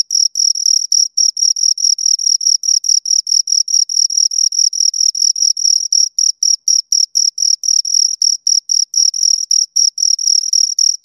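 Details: Chirping from two crickets heard right at the ear, a fast run of short shrill trilled pulses, roughly four per second, slightly uneven in spacing, with nothing else audible.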